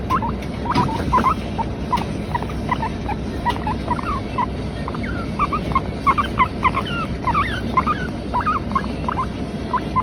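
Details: Female Teddy guinea pig named Latte, a pet, giving rapid repeated short squeaky whistles that rise and fall, many in quick bursts throughout, over low background rumble.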